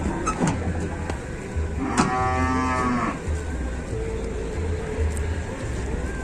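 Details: Cow that four villagers are helping onto a truck in Indonesia gives a single drawn-out moo lasting about a second, amid low rumbling, clatter and people talking.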